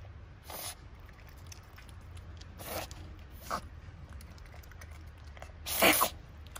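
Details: A zoo masked palm civet, eagerly eating a La France pear, gives sharp, breathy snorting "fugo-fugo" sounds, scolding the keeper filming it.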